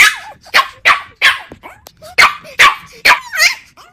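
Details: Shrill puppy yips and squeaky barks, high and strained, about two per second, with small whining slides between them.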